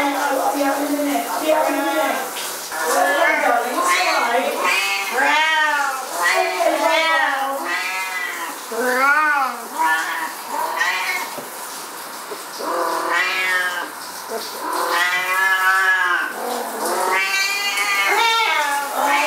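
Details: Two Siamese cats go berserk while their owner showers, meowing loudly and persistently, long harmonic yowls bending up then down, almost without pause and overlapping, with a human voice briefly in the background.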